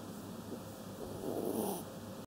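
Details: Sleeping Kaninchen Dachshund gives a short breathy snore that rises and falls over about a second, with a steady faint hum behind it.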